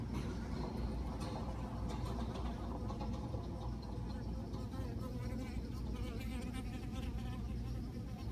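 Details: Western honey bees (Apis mellifera) at a hive with hatching brood and varroa mites give a steady, low droning buzz that hums without a break.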